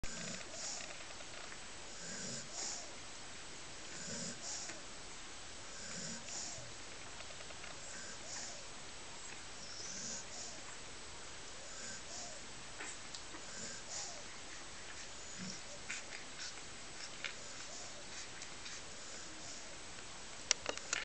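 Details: Five-day-old Rottweiler puppies give soft, low grunting whimpers, repeated every second or two.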